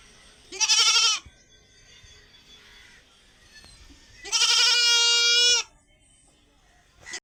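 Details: White goat tied in a village hut, making funny, expressive sounds: two loud, strained, harmonic bleats about three seconds apart, the second longer and steadier, with a brief third call starting at the end over quiet rural background.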